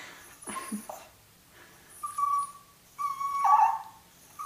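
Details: Pet Toy Fox Terriers excited by a turtle leaving its shell at their first encounter. Thin, steady whistled whines, rising then falling, repeat in short spells.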